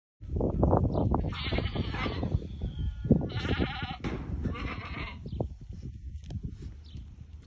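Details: White Awarid goats, a herd of ten including a buck with pregnant does, at Al-Summan: three loud, harsh, wavering bleats of about a second each, over steady low rumbling and handling noise.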